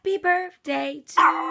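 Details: Chihuahua dressed in a costume giving short whiny vocal notes: four brief mid-pitched harmonic cries with small gaps between them, the last one louder and harsher, all close and clear with no other sounds.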